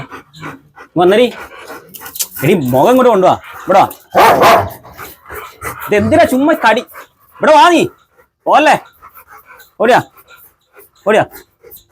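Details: A dog barks in a run of short, arched harmonic bursts spaced about a second apart, some closer together, with human voices talking in the gaps between barks.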